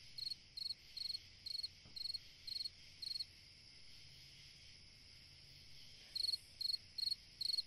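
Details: On a summer night a cricket gives a run of high, rapid pulsed chirps about twice a second, falls silent for nearly three seconds, then resumes the same chirping over a steady background hum.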